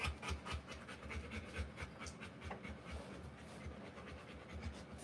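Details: Rottweiler giving birth, first puppy a female; quick breathy panting pulses with low thumps, a short pause midway, then panting resumes.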